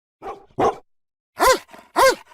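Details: Domestic dogs in Brazil give four short barks in two pairs, the later pair louder and sharper, with quieter yips trailing after each.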